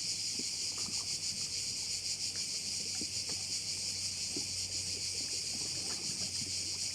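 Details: Crickets at one of the bays of Korčula, Croatia: a dense, steady high-pitched buzzing chorus with a fast shimmering pulse, plus faint low knocks and a low hum, perhaps from boats or water, beneath it.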